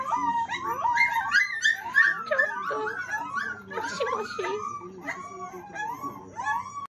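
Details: Several puppies howling together after a meal, recorded 10 August 2020: overlapping high, wavering howls that rise and fall in pitch, interwoven with short whimpering yelps, continuing without pause throughout.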